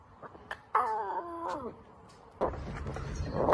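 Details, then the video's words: Lion cub roaring: a single harmonic, nasal, cat-like wail held about one second, steady and then sliding down at its end. It is preceded by faint clicks and followed by rustling noise and Spanish-speaking voices. "Cutest Lion Cubs Roar Telling That He is a King - Baby Lion Roaring"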